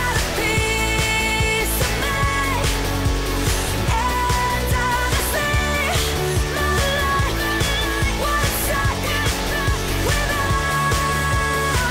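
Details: Loud pop song with singing, drums and steady beat fills the whole stretch, with no animal sounds.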